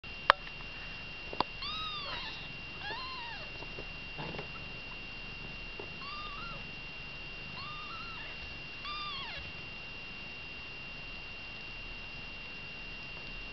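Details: Kittens with their mother cat indoors: several thin, high rising-falling meows, some in quick pairs, scattered over the first nine seconds, then quieter; a steady electrical whine runs throughout.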